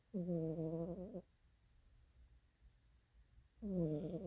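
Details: Cat snoring while asleep: two drawn-out, nasal, buzzy tones of about a second each, wavering slightly in pitch, separated by roughly two and a half seconds of soft breathing.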